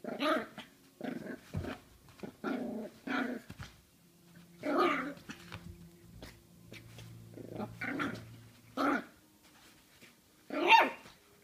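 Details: Jack Russell Terrier puppy playfully fighting a mandarin, producing repeated short growly barks and snarls in clustered bursts with brief pauses, a low steady hum underneath.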